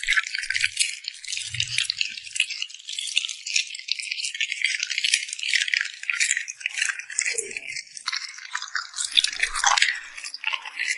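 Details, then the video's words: Puppy eating and smacking its lips, captured close for ASMR: a steady stream of sharp, crisp, wet clicks and crunches, with a few soft low bumps early on and denser bursts toward the end. "Immerse yourself in the sound of a cute puppy smacking its lips"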